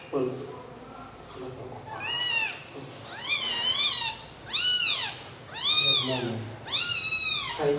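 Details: Newborn kittens sleeping together after milk give a run of high, arching mews, each rising then falling, about five in quick succession growing louder, with faint low voices and rustling at the start.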